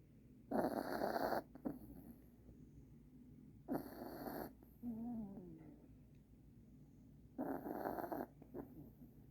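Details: Sleeping puppy wearing new Christmas pajamas, snoring in a quiet room: three long, harsh rasping inhalations, each about a second, spaced several seconds apart, with soft wheezy breaths in between.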